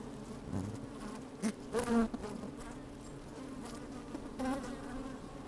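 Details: Inside an opened beehive on a sunny day, honey bees move about: a constant low hum underlies several sharp, rising buzzes from individual bees close to the microphone, the loudest near the middle, plus small crackling taps.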